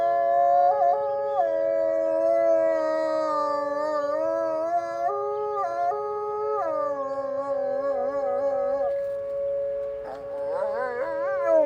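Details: Wolves in a chattier-than-usual Monday morning chorus on a snowy deck. Several layered howls hold level with small pitch steps, one sliding lower, and near the end short wavering rising calls break in.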